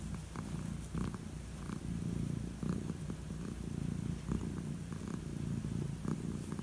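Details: Elderly calico cat purring as it gets head strokes at bedtime; deep, even rumbling throughout, punctuated by faint brushing noises from the petting hand about once every second or two.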